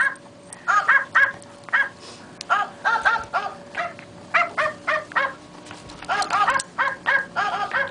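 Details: A wire fox terrier attacking a puppet gives rapid, high, yappy barks in bursts of two to four, with brief pauses, against a faint steady hum.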